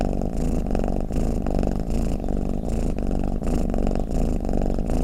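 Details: Domestic cat snoring and purring, a deep continuous rumble that swells and fades in soft pulses roughly every half second, dense low-pitched and muffled, with no other sounds.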